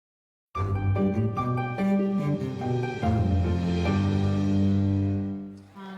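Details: Layered instrumental music with plucked and bowed strings and sustained low tones, with no animal voice heard.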